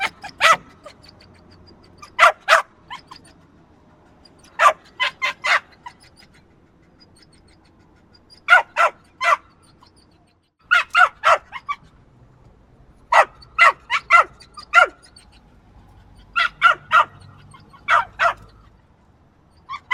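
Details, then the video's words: Persistent high yaps from a small dog, delivered in tight groups of two to four barks spaced every couple of seconds over a long, unbroken bout. "Small Yappy Dog Barking"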